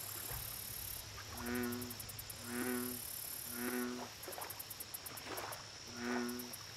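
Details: Lake bullfrog calling: four deep, humming, resonant croaks spaced about a second apart, with intermittent high, rapid insect pulses and continuous hiss behind.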